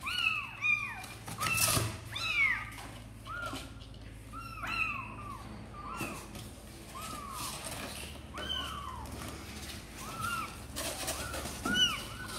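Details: Kittens of Sor and Kapov, eager to come out and play, call in quick, high arched mews, some doubled, coming in bursts then a softer run, over a low steady indoor hum.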